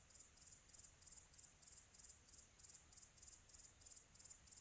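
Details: Crickets on a quiet tropical afternoon; steady high-pitched pulsed chirping in short bursts about three times a second, forming a continuous shimmering trill over a faint low background hum.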